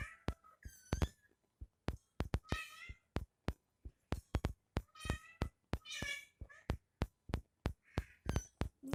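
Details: Indoors, a mother cat nursing her kitten; repeated meows, some short and squeaky, others drawn out with rich harmonics, come in quick bursts among dense sharp clicks, with faint music and voices behind.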